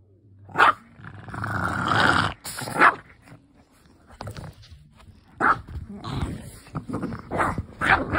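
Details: Two Boston Terriers growl and give sharp barks in rough, excited bursts while playing together.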